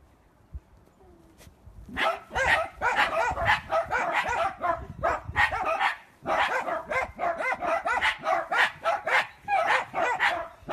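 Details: Playful miniature dachshund barking: after a quiet start, a steady run of sharp, harmonic yaps and barks comes roughly twice per second, with a brief pause around six seconds before the barking resumes.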